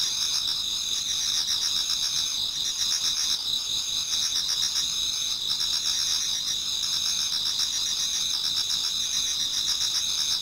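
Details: Towards dawn in autumn, numerous insects sing in a Japanese garden, forming a steady high-pitched wall of trills plus quick rhythmic chirps that rise and dip in short bursts throughout.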